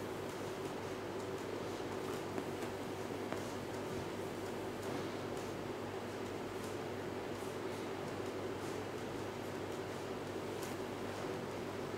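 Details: Low, even room noise with faint rustles and light ticks throughout, and no animal voice heard.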